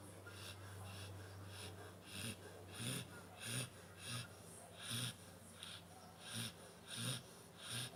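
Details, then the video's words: Sleeping indoors, nine-month-old Labrador Retriever Pantera snores in a steady rhythm, each raspy, wheezing breath ending in a low snorting pulse, repeating roughly every 0.7 seconds. "Labrador roncando"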